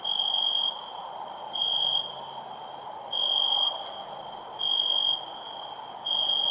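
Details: A cricket chirps loudly in long high trilled bursts lasting about half a second, spaced a second apart, against a steady insect hum and scattered high clicks.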